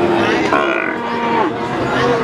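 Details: Adult feeder cattle at Pasar Sapi Wagenan in Pati, Indonesia, recorded 5 March 2019. One bovine moo swells and fades over about a second amid loud human talk and the noise of a busy livestock market.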